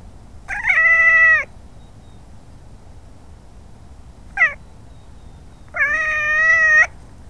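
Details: Pet cat let outside to roam during the day, recorded by a small camera on her collar, giving loud drawn-out meows: a long steady cry, a brief chirp-like one, then another long meow, over faint background hiss.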